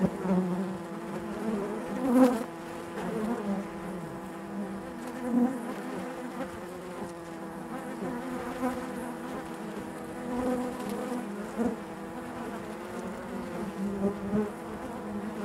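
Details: Steady natural buzzing of honey bees inside the hive, a low layered hum with a sustained tonal line and occasional brief louder flurries spaced several seconds apart.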